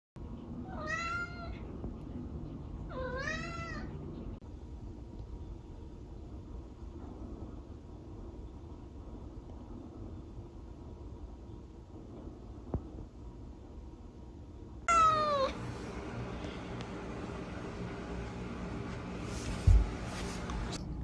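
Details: Female kitten, 16 weeks to 11 months old, meows twice in quick succession with high wavering calls. After a long quiet stretch with low background hum comes a third, sharper meow, followed by rustling and a brief knock.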